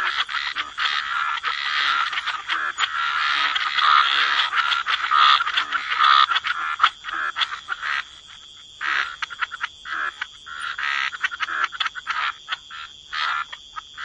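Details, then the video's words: Frogs croaking together at the waterside in wetlands, a dense overlapping chorus of raspy mid-pitched croaks that thins into separate bursts after about eight seconds, over a steady high thin whine. "Relax to the Sound of Croaking Frogs"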